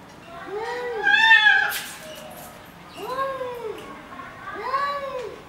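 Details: Mad cats fighting: three rising-and-falling yowls spaced about two seconds apart, the first louder and tense, with a brief sharp hiss or click after it, in a quiet indoor setting.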